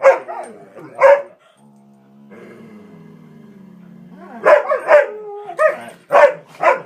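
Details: Three household dogs playing and getting worked up before their walk: two barks, a sustained low growl with a rising whine, then a rapid burst of repeated barks and yips.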